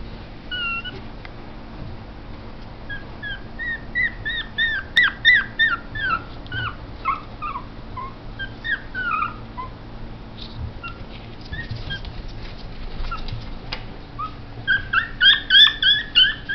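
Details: ['Chihuahua whimpering: series of short high-pitched whines and squeaks, many falling in pitch, repeated irregularly about three per second in bursts, with a denser run of squealing whimpers near the end and a low steady hum beneath.']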